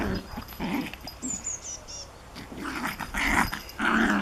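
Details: Japanese Chin puppy at play with a Collie, giving rough growling bursts and a short run of thin high whining squeaks, then louder snarly growls toward the end amid shuffling.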